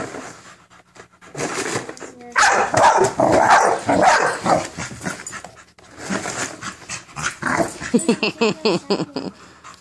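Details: American Bully named Minerva confronting a cereal box indoors: rough, noisy bark bursts and growly vocal sounds in two long runs, ending in a quick series of short harmonic yelps, with a person's voice talking over the dog.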